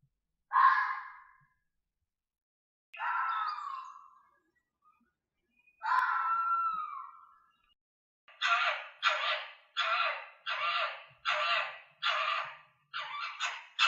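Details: Fox giving three drawn-out, hoarse screaming calls a few seconds apart, then a rapid run of short raspy barks at roughly two per second, with a quiet background.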